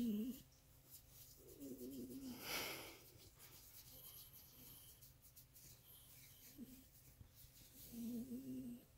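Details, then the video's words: Miniature Pinscher making pleasure noises: short, low, tonal moaning whines that recur four times across nine seconds, with one breathy puff midway and quiet surroundings. "Minpin Pleasure noises"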